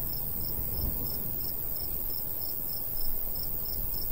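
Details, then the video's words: In summertime countryside near a golden wheat field, crickets give an even train of sharp, high chirps roughly three per second, while a light breeze fills the background with a low roar. "Countryside/cricket sounds"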